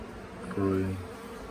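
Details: Honey bee from a late-season swarm being scooped into a nuc box at the Tamarind Tree Hotel. One bee passes close, a loud, clear tonal buzz lasting under half a second over the softer hum of the swarm.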